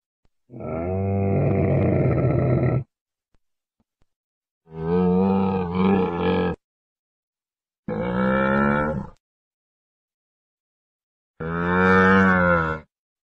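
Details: Four drawn-out camel bellows, deep and buzzy with strong layered tones, each roughly one to two seconds long and spaced by silent pauses.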